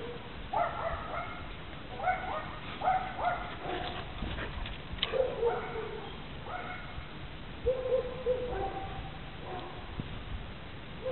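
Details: Central Asian Shepherd Dog, seven months old, making short tonal whining yelps with clear harmonics. They come in little bursts roughly every second, some rising and falling, over a constant background rush.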